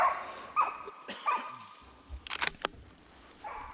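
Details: Hunting dog barking close by during a driven wild boar hunt, shortly after the boar is shot; three quick barks in the first second and a half, followed by clicks, rustling and faint thuds.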